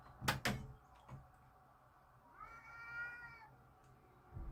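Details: Cats in a backyard, angry before a fight; sharp knocks open, then a single sustained, level, baby-like yowl of about a second over low hum.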